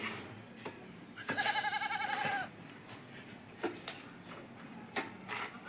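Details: Goat eating green fodder, letting out one loud, tremulous bleat about a second long, followed by a few sharp clicks and knocks against a quiet background.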